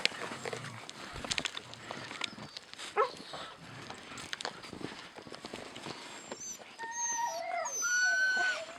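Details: Siberian Husky puppies, a grey one and a white one, are fed and chew their food, giving thin, high whines and squeaks over chewing and scuffling as one tries to take the other's food.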